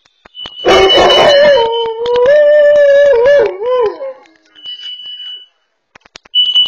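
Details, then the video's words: Dog home alone, alerting to carbon monoxide on a pet camera: a rough, noisy burst opens into a sustained howl that wobbles in pitch, with a shrill steady alarm beep before and after. "Dog saved from carbon monoxide through Barking Alerts"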